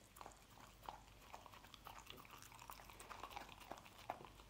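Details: Dog indoors eating scrambled egg, gentle licking and chewing clicks at an uneven pace, fairly quiet and close, with faint room hiss underneath.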